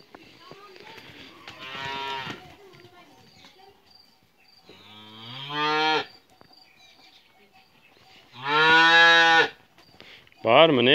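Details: Calves moving about a yard in hot weather, happy in their new place; three loud harmonic moos, each about a second long, the last one wavering, with quiet speech between calls.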